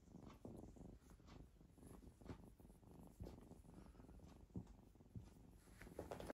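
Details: One of three cats at play with a person purrs in a rich, rhythmic low vibration, the pulses coming in rapid waves with slight surges about every half second, plus faint handling noises.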